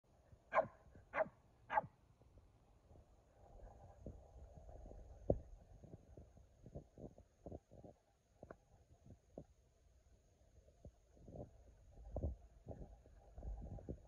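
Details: Two pet dogs, Kumo the Keeshond and Sully the Boston Terrier, face off in a playful stand-off. Three sharp barks come in quick succession at the start, followed by soft thumps and shuffling.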